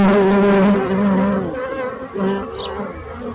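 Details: Bees buzzing: a loud, steady droning hum with rich overtones. It holds strongly for about a second and a half, then continues more softly with wavering pitch and swells again near the end.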